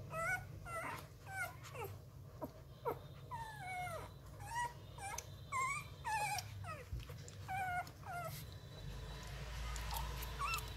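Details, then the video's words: Rottweiler puppies, eleven days old, hungry before feeding and suckling at anything at a kennel, give repeated high whining whimpers that slide downward, several per second in bursts, with a low steady hum beneath and a woman speaking at the end. "Chó Rottweiler con 11 ngày tuổi như ma đói cái gì cũng mút"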